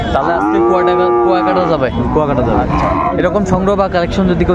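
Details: Friesian or crossbred bull calf at Raniganj cattle market in Dinajpur, Bangladesh, 2 January 2025: one long, deep, drawn-out moo, level then falling, over the steady chatter of a crowded market with voices and traffic.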